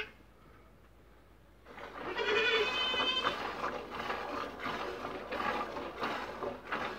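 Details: Dairy goats Neca and Marcela, a young female, in their first days of milking: after a quiet start, a loud wavering bleat rich in harmonics lasts over a second, followed by steady rhythmic rasping noise.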